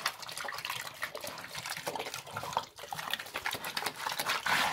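A pig eats wet slop with rapid smacking, slurping and sloshing sounds.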